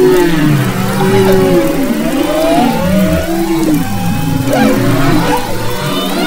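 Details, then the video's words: Maui humpback whale chorus from February 2011, west coast waters: many overlapping tonal moans and wavering whoops at low and middle pitch, continuous and layered, with faint high squeaks. "Humpback Whales and Their Songs"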